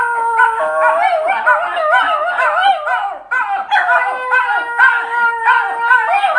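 Italian Greyhounds howl together in wavering, overlapping tones that rise and fall.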